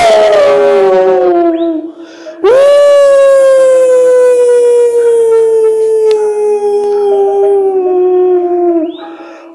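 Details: Hound dog howling at wolves: a first howl fading downward, a brief pause, then a loud howl that jumps in and glides slowly lower for about six seconds before tapering off.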